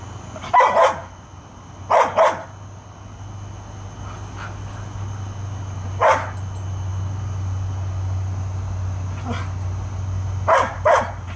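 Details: Airedale Terriers Bailey and Lexie guarding a yard against varmints; pairs of sharp barks at the start, single barks in the middle, and a final pair, over a low steady hum.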